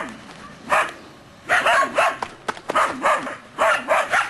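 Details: Belgian Shepherd Groenendael puppies, three months old, from one litter, barking at a stranger filming them without showing his face and showing guarding instinct. A single sharp bark comes first, then a quick irregular cluster of about seven harmonic barks and yips.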